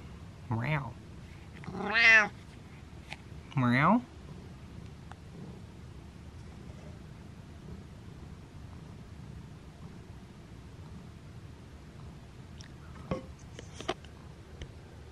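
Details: Domestic cat scolding its owner indoors with three quick meows in the first four seconds, the later ones rising then falling, followed by a long quiet stretch with a few faint clicks.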